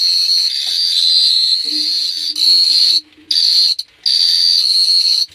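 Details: Cricket chirping at night at Phteah Prey: a loud, high, steady buzzing trill in long bursts, broken by two short silences, with a faint low tone partway through.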